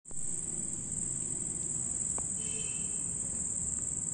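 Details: At night, a red cricket gives a steady, very high-pitched, unbroken trill over a low background rumble.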